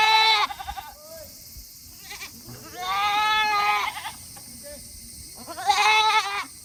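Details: Tokara goats on a small farm in Himi, Japan, on a hot 8 August 2021, bleating after finishing their food early and eager to return to their shed; three loud, wavering, nasal bleats, the middle one about a second long, with quiet gaps.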